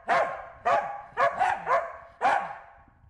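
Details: Barking Corgi, Wynee, chasing and herding a bee: six quick, bright barks, some in close pairs, each with a slight downward slide.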